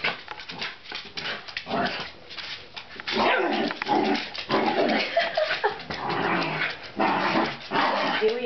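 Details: A miniature dachshund going after a cat gives rough, uneven growls and yaps while a person talks over it.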